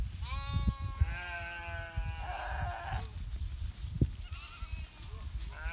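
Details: Sheep kept by shepherds in the Himalaya during the winter season give a few drawn-out, quavering bleats, one after another, then a fainter call near the end, with low background rumble.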